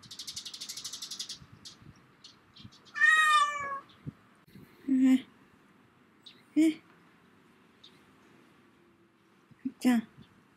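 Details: A black-and-white pet cat sits in a bicycle basket it loves to ride in, making a big fuss. One clear, long, slightly falling meow, then short chirpy mews. A brief buzzing sound comes first, with soft indoor noise throughout.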